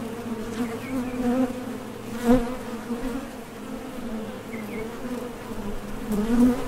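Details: Dense low droning of honey bees at a top bar hive entrance while workers depart for nectar and return, broken by a sharp tap and a few brief higher whines from passing bees.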